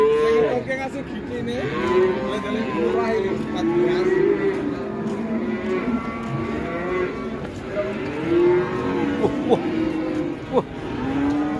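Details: Cattle lowing while being released and turning wild, an elderly handler present; several overlapping drawn-out moos with rising and falling tones, constant through the clip, against background voices.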